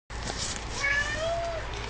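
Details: Pet domestic cat, described as a 'talking cat' that says the Hebrew word for fridge, gives a drawn-out, wavering meow that bends down in pitch over about a second, while a person nearby coaxes it to say 'fridge' in Hebrew.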